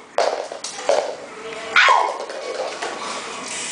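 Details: A Beagle puppy at play gives three short, sharp, high yips, at the start, near one second and near two seconds, with quieter whimpering sounds between and a steady background hiss.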